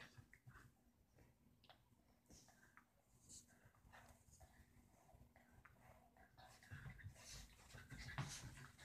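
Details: Roxie, a deer-head chihuahua, coaxes Reese, a Dorkie, to play; soft whimpers and panting breaths repeat rapidly and unevenly, growing louder and more excited toward the end, with light scuffling in a quiet room.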